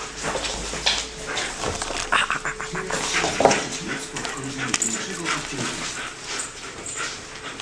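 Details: A six-month-old Alaskan Malamute makes short whining, talkative vocalizations while playing with a ball, with a person speaking nearby.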